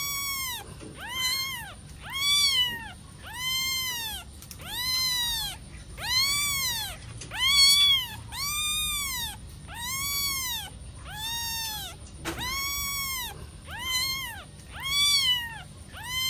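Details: Playing kitten giving a long series of high, bending meows, each rising then falling, about thirteen in sixteen seconds with short gaps between; a thin steady high whine runs underneath throughout.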